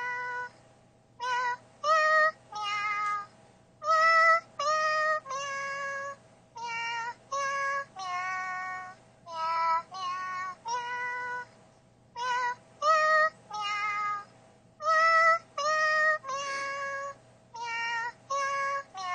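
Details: A pet Siamese cat, newly found by its owner to "sing", gives a long series of tuneful, drawn-out meows, one after another.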